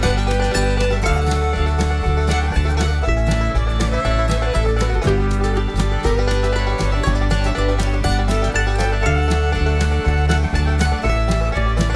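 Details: Lively bluegrass-style music with plucked banjo and guitar over a bouncing bass fills the whole stretch, and no animal sounds come through.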